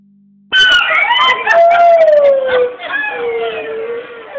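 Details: Monkeys at a zoo giving loud wailing calls: long harmonic tones that slide downward, overlapping cries and sharp bursts, continuing for about four seconds after a sudden start.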